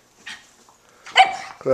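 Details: Jack Russell Terrier and Shih Tzu mix, a one-year-old pet living with other dogs, gives a soft breathy huff, then a loud sharp bark and a brief tonal, harmonic yelp, indoors in a quiet room.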